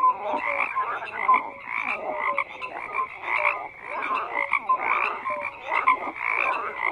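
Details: Frogs calling in chorus: repeated rasping croak bursts about every second, layered with softer clicking pulses and occasional short whistled notes, steady and unbroken.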